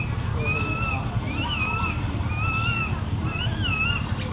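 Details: Baby monkey calling out to its mother up in a tree: a string of clear, whistled, arched coos with a harmonic above, about five or six calls in four seconds, over a steady low rumble.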